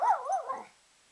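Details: Pet Rat Terrier singing on cue from its owner, giving a brief wavering, yodel-like howl that rises and falls before fading.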